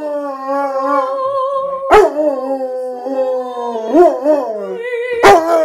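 A Rottweiler howls in long, drawn-out tones that waver and bend in pitch like a singer.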